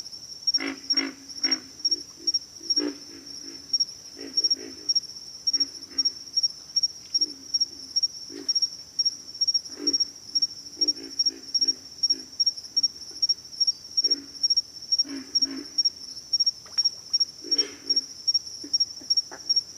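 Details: Pig frogs in a chorus of short, deep, grunting pulses, some single and some in quick runs, repeated irregularly throughout; a steady high-pitched insect whine runs underneath the whole time.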